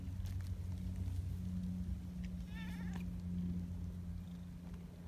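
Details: Community cats, the big black boss cat Donchan and a black-and-white tuxedo cat, lined up to greet outdoors; one short harmonic meow with a wavering pitch midway, over a steady low hum and light rustling.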